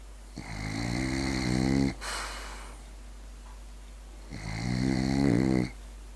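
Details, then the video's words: Asleep and snoring, Berti the French Bulldog gives two drawn-out, rattling, deep snores about three seconds apart, with a faint breathy exhale in the quiet gap between them. "Berti the french bulldog snoring"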